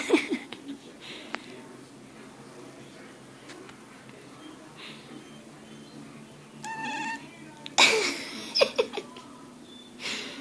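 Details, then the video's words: Female kitten talking in her sleep: soft brief chirps early on, then a louder burst of short harmonic mewing murmurs near the end, over a quiet steady background hum. "my sleep talking kitten"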